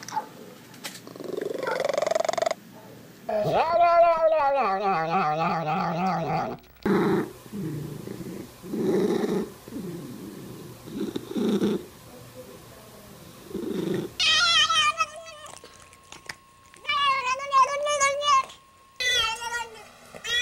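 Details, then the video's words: Domestic cat giving a string of varied calls: a brief high cry, then long wavering meows with rich harmonics, choppy growl-like bursts, and several rising-falling wails near the end, separated by abrupt cuts and short silences. "14 Weird Sounds Cats Make"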